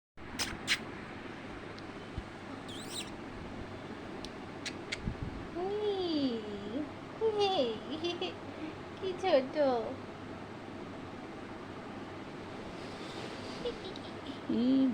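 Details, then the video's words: Newborn kittens born at home; thin, arching mews with rising-then-falling pitch come in small bursts, mixed with people talking and a child's voice nearby. "আমাদের বাড়িতে বিড়াল বাচ্চা দিয়েছে"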